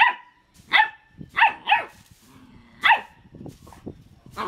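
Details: Dog barking in a funny dog compilation: sharp, clear single barks spaced about half a second apart, then a pause and one more bark, with soft rustling and faint murmuring between.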